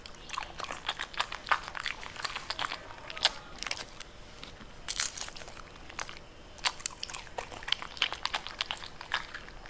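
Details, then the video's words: Pembroke Welsh Corgi eating purple cabbage: dense, crisp crunching bites, irregular bursts of snapping and crackling chews across the whole stretch with brief pauses between mouthfuls. "Cute Pembroke Welsh Corgi Eating Purple Cabbage"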